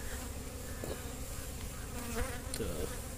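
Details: Kept honey bees gathering from nearby mustard flowers make a soft, continuous humming drone. The buzz is faint and even, with a few light clicks and handling noises.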